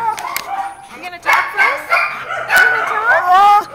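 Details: Male husky/malamute mix at Baldwin Park shelter making unusual human-like 'talking' sounds while nestling into a visitor's lap; wavering, yodel-like whines with bending pitch, mixed with women's laughter and chatter.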